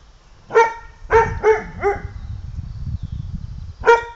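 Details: Lota, an English Pointer, barks sharply: four clear ringing barks in about one and a half seconds, then a pause and one more bark, over low background rumble.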